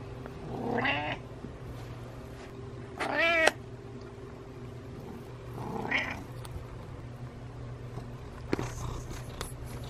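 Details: House cat trailing its owner and meowing, giving three separate wavering meows spaced a few seconds apart, the middle one loudest, over a constant low hum with a couple of faint clicks near the end.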